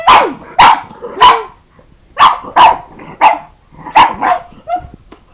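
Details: Kingston, a pet pug, barking at a computer as if another dog were inside it and could not be found; sharp loud barks in quick pairs and triplets, about nine in five seconds, with short whiny yelps between.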